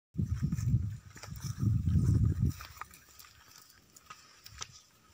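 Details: Gir cattle at a dairy farm in Gondal, Gujarat, India: deep, rumbling low-pitched calls in two bursts over the first two and a half seconds, then quieter farm background with faint clicks.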